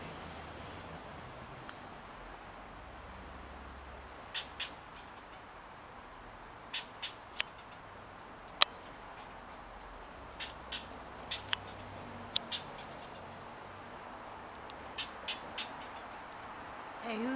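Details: An eastern fox squirrel gives sharp, clicky barks, singly and in quick pairs, while swishing its tail at a person to defend its avocado tree as territory.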